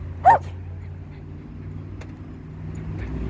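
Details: An annoying dog barks at Kobe, a dog that is told to leave it and ignore it. There is one sharp, loud bark, followed by quiet background hum.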